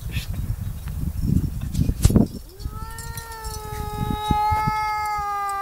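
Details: Crying cat: after a couple of seconds of rustling and handling noise, one long, steady, tonal wail begins and holds unbroken for over three seconds, rising slightly at the start.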